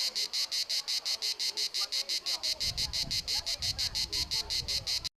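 A cicada sings a harsh, rasping buzz broken into rapid, even pulses, about five each second.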